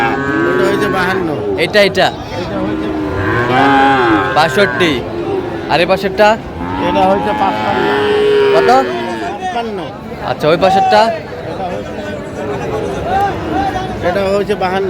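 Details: Friesian and crossbred bull calves at the Raniganj cattle market in Dinajpur, Bangladesh, on 15 January 2025: several arched, rising-then-falling lowing moos overlap one another, with market chatter and voices between the calls.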